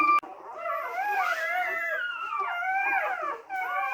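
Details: Newborn Teddy Retriever puppies crying during their mother's whelping indoors: a long wavering whine that slides up and down for about three seconds, then a brief short cry.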